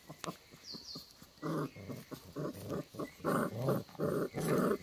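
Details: Boerboel puppies play fighting, giving short rough growling bursts about three per second, each a broad low rumble, with faint thin squeaks early on and indoor-sounding quiet between bursts.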